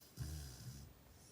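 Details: Chow Chow puppy named Murphy snoring while asleep at night indoors: one low, rumbling snore of under a second, with a faint hiss above it, in a quiet small room.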